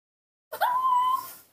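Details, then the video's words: Young female baby monkey, hand-reared at home, calling in the morning to ask for milk: one clear whistled coo, briefly rising then held steady for about two-thirds of a second before fading, with soft harmonics above. "the baby monkey Nomi is calling in her sweet voice asking for milk"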